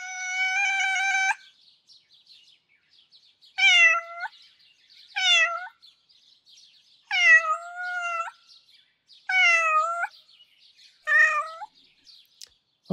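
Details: Lucifer, a ginger cat with an incessant begging, whining character, opens with one long meow, then gives five shorter whining meows that bend down and level off, repeated about every one and a half seconds.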